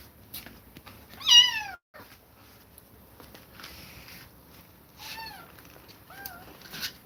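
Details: Distressed kittens taken away from an aggressive mother cat give short, high falling mews, one loud cry followed by softer, scattered calls and quiet gaps.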